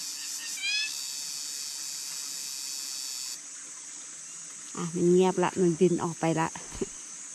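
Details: A single tiny cicada overhead in forest beside a stream in Thailand, at dusk in cool weather, gives a loud, steady, high-pitched buzz that sounds like many and cuts off abruptly, followed by a woman speaking.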